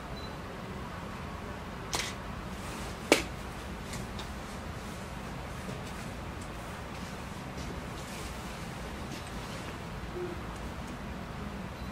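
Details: A steady low indoor hum with two sharp clicks near the start and no audible animal voice.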